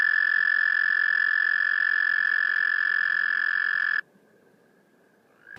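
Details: American toad in the eastern US gives its drawn-out spawning trill, a long, steady, musical trill on one high pitch held evenly for about four seconds, then cutting off into near silence.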